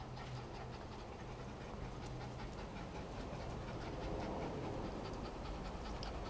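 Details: Toy Poodles Shadow, an apricot female, and Archie, a black dog, exercising on a treadmill and chasing a ball alongside Tango, a Chihuahua x Mini Foxy; quick, steady panting over a continuous low mechanical treadmill hum.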